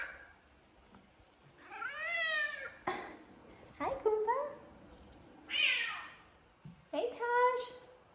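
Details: Two male F2 Savannah cats give a series of drawn-out, harmonic meows asking for attention; one cat's meows grow notably deep as the owner bends down to them.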